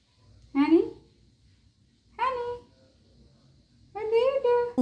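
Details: Pet cat indoors in a small room, wanting the door opened to go out and play, gives three drawn-out meows about a second apart, each sliding upward in pitch, with a woman's voice nearby.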